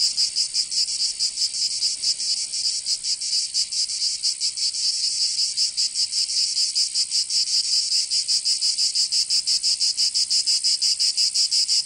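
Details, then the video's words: Provençal cicadas in summer: a continuous piercing buzz made of fast rhythmic pulses, uneven at first and then tightening into a regular throb, nothing else audible. "Canto Cigarra"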